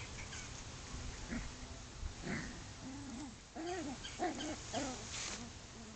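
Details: Chow chow dog at play, giving a string of short, arched whining tones that rise and fall, sparse at first and then bunched into several quick whimpers in the second half over steady background hiss.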